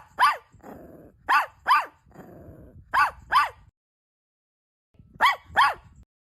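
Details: Around a mother dog feeding her newborn puppies, paired high yelps come in quick doubles with short gaps, separated by soft rustling and then a pause of silence before a final pair.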